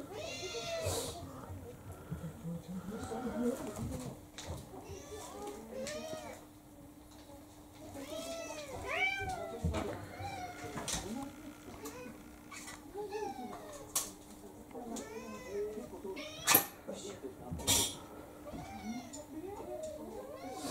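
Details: Indoor mixed-breed cats during a play attack by a three-to-four-year-old female on a male of about seven; many short arched meows and yowls come in quick succession, with occasional speech and knocks.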